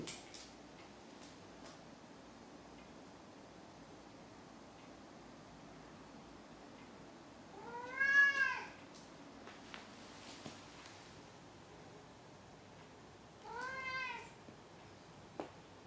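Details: Domestic cat meowing in a quiet room: two clear drawn-out harmonic meows, each rising then falling, spaced about five seconds apart, with near silence between them.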